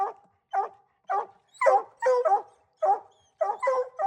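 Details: Coon hunting dogs bark steadily, short barks alternating with longer ringing bawls, about two calls per second, overlapping voices suggesting more than one dog.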